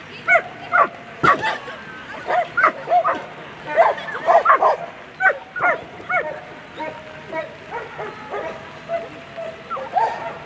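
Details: Barking from German Shepherds during a world championship agility run, A3 Sunday class, first place; a dense series of short, loud barks, sometimes doubled, easing off toward the end, with people talking nearby.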